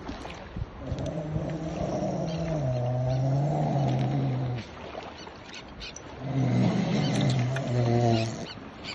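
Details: Grey seal at Ecomare on Texel, being freed from fish hooks, gives two long, low moaning wails with a strong harmonic stack, the second after a short pause, over steady wind and water noise.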